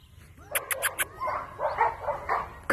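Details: A dog barks in short bursts after a few sharp clicks and taps, the barks coming in an uneven run of four or five calls over a quiet background hum.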